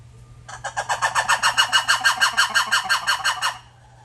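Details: Red ruffed lemur calling, likely a zoo animal: a harsh, pulsed series of loud barking notes, about three per second, sustained for roughly three seconds before stopping abruptly.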